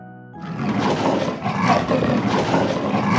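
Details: An Amur leopard gives a harsh, breathy growl that rasps on for about three seconds after a brief tonal note at the start.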